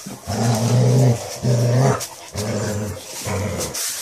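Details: A Basset Hound gives four deep, resonant growls, each about half a second to a second long with brief pauses between, the first two strongest, then softer repeats.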